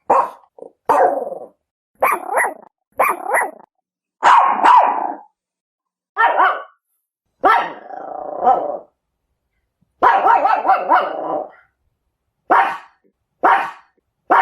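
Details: Chihuahua barking, described as piercing and unmistakable: irregular bursts of sharp, high-pitched yaps, some doubled, others drawn out and slightly growly, separated by short quiet gaps.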